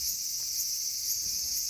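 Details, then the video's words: Cicada in a small garden, August 5, 2020: a dense, continuous high-pitched whirring buzz, even and unbroken across the short stretch. "The sound of Cicada."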